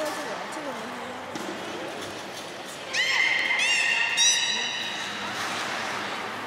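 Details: Beluga whale in captivity at Port of Nagoya Public Aquarium, recorded 3 February 2019 around feeding and the play session after. Murmuring visitors fill the first three seconds before a sharp, rising harmonic whistle rings out for about a second and a half.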